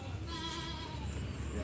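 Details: Goats on a farm give short, wavering, nasal bleats, apparently asking for something, over low rumbling background noise.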